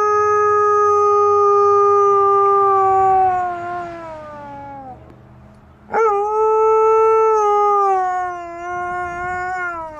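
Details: Alaskan Malamute giving a long, steady, tonal howl held for about five seconds and slowly falling, then after a short breath a second sustained howl starting sharply and holding level.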